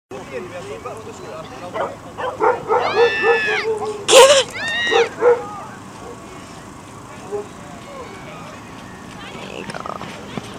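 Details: Axel, an Alaskan malamute, Newfoundland and German shepherd cross, on his first try pulling a trike scooter and loving it: a burst of eager, arching, whiny yelps in quick succession mid-clip, then quieter, with a person talking throughout.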